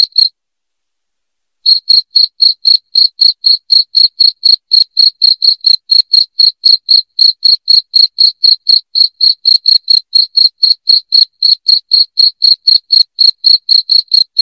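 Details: Cricket sound intended to drive off house rats: a single chirp, over a second of silence, then a long steady train of loud high chirps about four per second.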